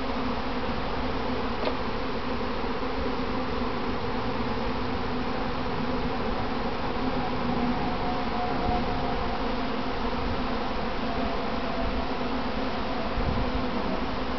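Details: Honey bees from a kept colony on a practice swarm, later returning home and clumping on their box; a thick, continuous drone of many bees with a low buzzing hum and a faint brief click near the start.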